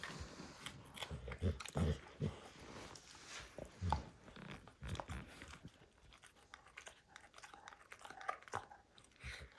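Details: Max, a pet dog, destroying the leather hide of a baseball in a small room; heavy low crunching bites bunched in the first four seconds, then softer rapid gnawing and tearing, roughly three chomps each second.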